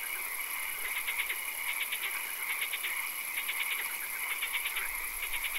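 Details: Frog calls in a swamp at night: distinct groups of four to six fast rattling pulses, repeating roughly every second, over a continuous high drone and background chorus.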